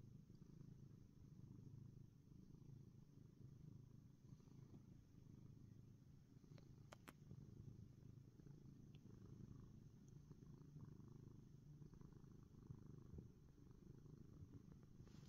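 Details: Happy black house cat Ronnie purrs continuously, a deep even rumble with a rhythmic pulsing texture and no pauses, accompanied only by a couple of faint clicks.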